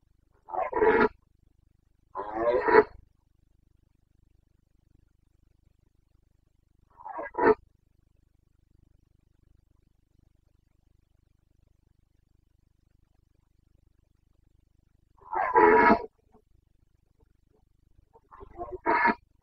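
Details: Carpathian red deer stag in the Bucovina mountains during the breeding season, late September: loud, harmonic roars in bursts, two close together, a single shorter one, then two more after a long silent pause.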